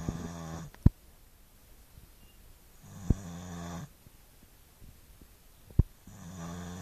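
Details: Snoring Staffordshire Bull Terrier: low, rough inhaled snores about a second long, spaced roughly three seconds apart, with sharp clicks or taps between them.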